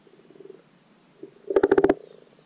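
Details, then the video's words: Common frogs calling for spring spawning in a garden wildlife pond: a faint, low purring chorus, then a close, loud croak made of about six quick pulses that sounds like a short, knocking rattle. "The Croak Sounds of Spring Frogs. The Spring Spawning Call of the Common Pond Frog Rana temporaria."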